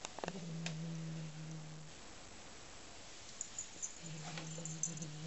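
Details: A domestic cat with a new toy it found in a bag growls in a deep, even rumble that holds nearly two seconds, pauses, then starts again, as if guarding its prey, with faint clicks and rustles in a quiet room.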